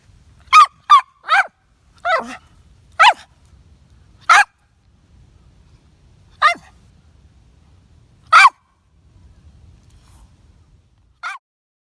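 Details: Toy Poodle named Popo on an evening walk to the hill behind home during a typhoon on 29 October 2017, in a lull when the rain had stopped; nine sharp, high yapping barks at irregular gaps over a quiet background.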